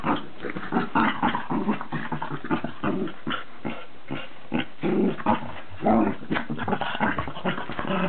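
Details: Two dogs, a Cavalier King Charles Spaniel and a Cairn Terrier, at war with each other: steady low growling and snarling with quick puffs and grunts, rising in short louder bursts, recorded indoors.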